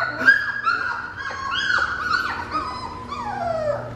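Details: Three-week-old Fox Red Labrador puppies, on their first outing in the living room, give high, squeaky yips and whines, several voices overlapping in quick bursts.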